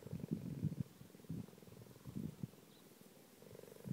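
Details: Quiet, continuous purr from a pregnant cheetah, a low pulsing drone that swells in short surges and fades between them.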